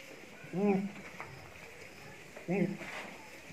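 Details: Beetal goat offered for sale, giving two short, arched, nasal bleats about two seconds apart over a low background hum, with no other clear sounds.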